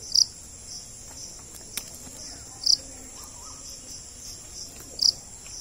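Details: Loud, clear high chirps from a cricket known locally as jhingur, three pulses about two and a half seconds apart over a thin steady insect hum.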